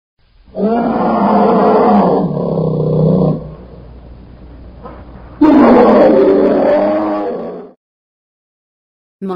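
Two long, throaty roars from a bear, each lasting a couple of seconds, rough and growling with a strong low rumble. A short quiet gap falls between them, and a brief third burst begins at the end.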